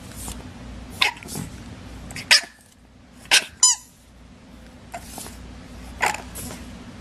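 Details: Dog giving a run of short, sharp yips and barks at uneven intervals, one ending in a brief high squeal, over a low steady background hum.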